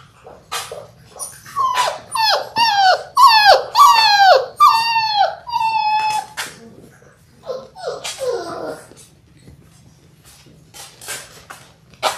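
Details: Labrador Retriever puppies in their sixth week, one of a litter of six born January 18, 2022, filmed by an indoor puppy cam, give a run of high, wavering whines that bend downward, later fading into scattered soft yips and shuffling.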